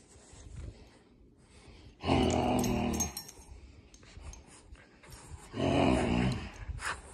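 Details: Odie, a Boston Terrier, growls while playing with a toy indoors: two long, harmonic-rich rumbling growls of about a second each, separated by quieter breathing and small rustling sounds.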